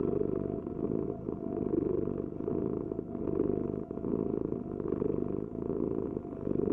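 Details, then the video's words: Rumbling cat purr pulsing in roughly two-second breath cycles, a low buzzy vibration over a faint constant hum. "Heal with the ultimate cat purring vibration"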